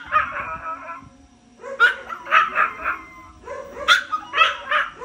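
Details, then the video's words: Crying pet Chihuahua giving a wavering whine followed by a run of sharp yelping cries that rise and fall, several in quick succession after a short pause. "MY CRYONG CHIHUAHUA"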